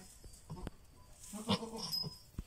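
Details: Goat in labour giving one long, quavering nasal bleat midway, preceded by soft clicks and rustling.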